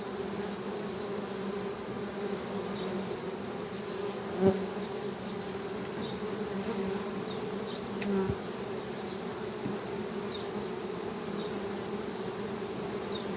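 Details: Continuous droning hum of honey bees, low and steady with a bright overtone band, broken by two short sharp knocks; faint high chirps sound in the background.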